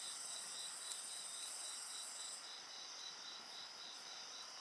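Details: Insects sing in a dense chorus: a steady high shrill layered with a rapidly pulsing trill, unbroken throughout, plus a single sharp crackle of a bonfire near the start.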